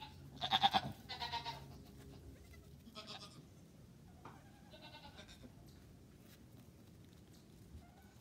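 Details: Farm goat giving two loud, vibrato bleats in quick succession, followed by several softer, shorter bleats trailing off into quiet background hiss.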